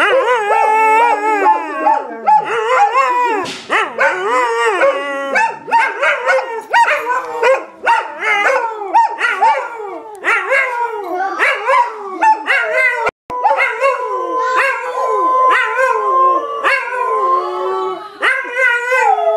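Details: Domestic dog howling along as its owner sings the Mickey Mouse song: a continuous run of wavering, yodelling howls bending up and down in pitch, with short sharp yelps in between and one brief break.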